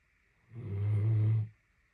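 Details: Rey, a female Great Dane napping, gives a single deep, rumbling snore lasting just under a second; she snored for a solid 30 minutes straight.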